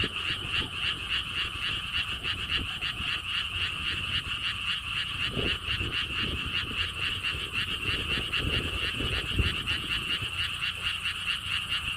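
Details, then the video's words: Frogs calling at a lotus theme park by a stone wall path at Gwangokji, Siheung, South Korea: a dense, steady chorus of rapid pulsed croaks in two pitch bands, several per second and unbroken throughout, over faint low rumble. "개구리 소리"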